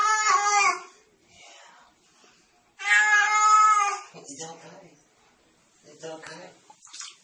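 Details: Cat filmed indoors for a funny compilation gives two loud, sustained meows about two seconds apart, each held and fairly level in pitch, with quieter murmuring voices and small bumps between them.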